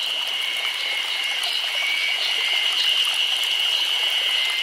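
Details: Cicadas singing together on a summer day in Nagano Prefecture, Japan: a continuous high, ringing drone made of two steady tones over a hissing, crackling texture, with no pauses.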